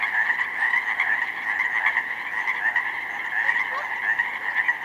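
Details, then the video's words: Springtime Pacific chorus frogs in a flooded slough meadow filled with snowmelt, 19 May; a thick, continuous chorus of overlapping ribbit calls with slight swells in loudness. "pacific chorus frogs in full effect!"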